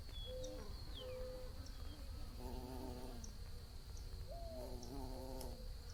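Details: Bees buzzing: two low, droning buzzes with stacked overtones, each lasting about a second and swelling then fading as if flying past. Short whistled bird notes and a steady high insect tone run behind them.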